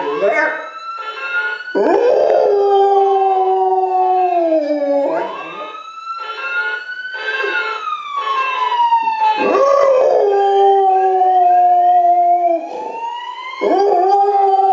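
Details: Golden Retriever. A Golden Retriever gives drawn-out howls, each note swelling upward, holding, then sliding down in a mournful glide. A siren wails in the background, and the dog's howls rise and fall along with it.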